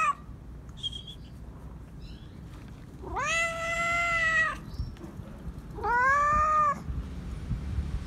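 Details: Male stray cat meowing loudly while demanding to be petted: two long, drawn-out meows with rich harmonics, the first lasting about a second and a half, the second shorter, over a faint background hiss.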